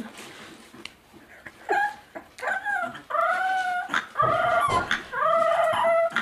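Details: Dog whimpering and yipping in a string of short, high, whiny cries that bend down and up, coming in quick bursts with brief pauses, mixed with soft thumps and background clatter.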